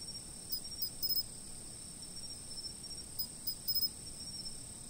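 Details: Insects calling: a constant thin high-pitched trill with two brief bursts of rapid chirps, otherwise calm and quiet.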